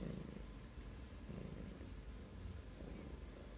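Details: Teething grey Russian Blue cat gnawing a spoon swapped in for a phone; steady deep purring rumble, low and even throughout, with slight rhythmic swells and a faint hiss of background noise.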